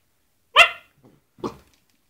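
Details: Basset Hound attacking a glove gives one loud, harmonic-rich bark, then a shorter, softer second bark about a second later.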